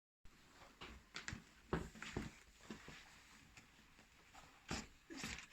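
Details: Pet ferret sneezing indoors, said to be reacting to too much dust: short, sharp, broadband bursts scattered over about five seconds, some coming in quick pairs, with faint rustling in between.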